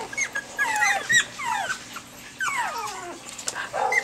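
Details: Pomeranian puppies five and a half weeks old, February 2013, a litter crying together: many overlapping high whistled whines sliding downward, repeated in quick bursts, with a soft human voice in the background.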